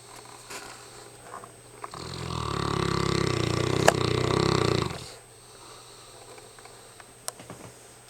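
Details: Mastiff named Hamish, worn out and asleep, lets out a single loud, drawn-out snore of roughly three seconds, low, coarse and vibrating, framed by soft breathing and small snuffling sounds in a quiet room.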